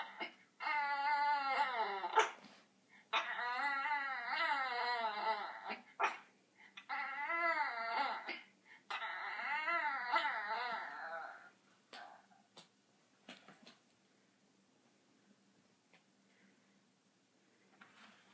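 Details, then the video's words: Pet Yorkshire terrier whining indoors to be let up on a chair: four bursts of wavering, harmonic-rich whimpers over the first eleven seconds, then near silence with a few faint clicks and taps. "Yorkie making cute sound"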